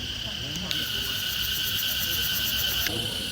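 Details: Crickets at the tomb of King Tu Duc in Hué, Vietnam, possibly a sign of heat: a steady high insect trill with a pulsing upper band runs throughout, over faint low background rumble.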